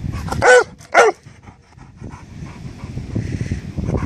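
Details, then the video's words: Labrador Retriever barking outdoors at another dog that holds its ball while lying in bushes behind it: two loud, sharp barks half a second apart, then low rumbling background noise. "Bellender Labrador"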